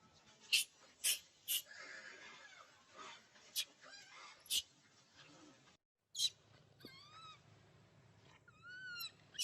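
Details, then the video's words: Young monkey, addicted to milk, crying and making noise while wanting milk; sharp broadband bursts and rustles give way to short high, arched whistled cries that rise and fall, repeated several times near the end. "The little monkey is addicted to milk, crying and making noise."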